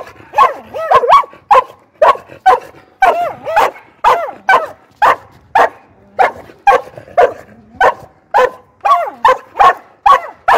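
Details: Australian Cattle Dog giving a steady run of about two barks a second, each with a whiny, bending tone, over near-silent pauses.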